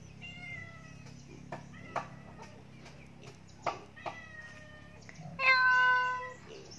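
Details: Pet cat that climbed up and cannot get down, meowing: several thin wavering cries, then one loud drawn-out harmonic meow near the end, with clicks and a low background hum.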